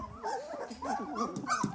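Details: Several eighteen-day-old Dalmatian puppies whimpering, with wobbly, wavering whines that overlap and bend up and down continuously, over light background noise.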